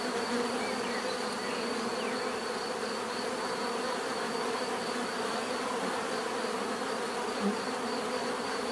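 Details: Bees buzzing naturally, a dense steady hum of many insects layered in bands, continuous and even throughout, with a faint high whine held above the drone and a few soft chirps drifting through.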